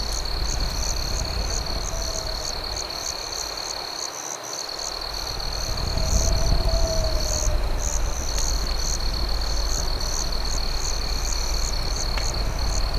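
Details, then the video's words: At night by a campfire, crickets keep up a thin unbroken trill plus quick repeated chirp pulses; the fire's low crackling dips for a moment near the fourth second, then swells louder. "Night Campfire Ambience with Cricket Sounds"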